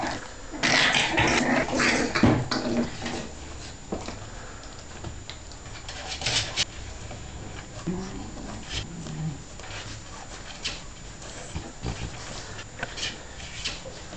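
Staffordshire Bull Terrier puppies give a burst of high, squealing whines and yelps, then settle into quieter whimpers.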